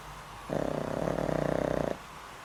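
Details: Snoring of Boram, an elderly pet dog more than twenty years old with heart trouble, asleep: a single loud, pulsed, rattly snore lasting under one and a half seconds against near silence.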